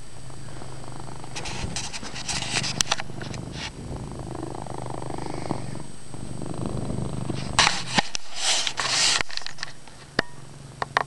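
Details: Chase, a pet cat, keeps up a low, droning purr indoors in a dim room, partly covered by frequent crackling rustles and handling noise, with clusters of loud scraping near the end.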